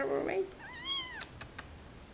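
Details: A pet cat gives a single drawn-out meow, rising then falling, after a brief spoken word indoors, followed by a couple of soft clicks.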